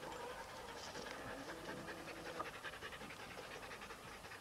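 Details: Huskies at a sled dog race weekend in the Forest of Dean, November 2001, filmed on VHS tape: steady, rhythmic, breathy panting runs through the whole stretch, with a faint hiss underneath.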